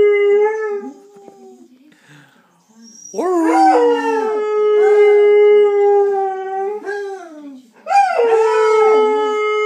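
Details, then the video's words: Saluki named Steve, a pet dog, singing: long sustained howls with rich harmonics, a short opening howl, then a drawn-out steady howl with wavering onset, a pause, and a fresh rising howl near the end. "Singing saluki"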